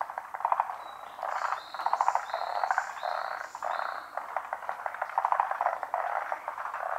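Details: Many frogs in full chorus at a Japanese pond, hidden from view; rapid pulsed croaking trills overlap continuously, with a few short whistled notes rising above the din.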